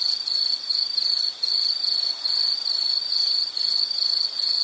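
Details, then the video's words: High insect chirping in rapid pulsed bursts, over two per second, with short gaps near 1.4 and 3.5 seconds and faint hiss underneath. "Nature Sound of nature sounds scenery L · insect"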